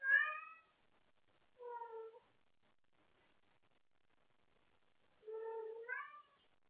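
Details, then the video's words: Wendy, a pet cat up late at night playing with her toys and calling out for someone to play with, gives three harmonic meows: a bright opening cry, a lower shorter one about 1.5 seconds later, then a longer rising-falling meow near the end, in a quiet room. "Wendy wants to play late at night!"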